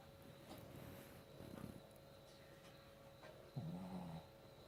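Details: Sleeping dog snoring softly, comfortable and relaxed; low, rumbling breaths come in short irregular bursts, with a louder snort near the end over a steady faint background hum.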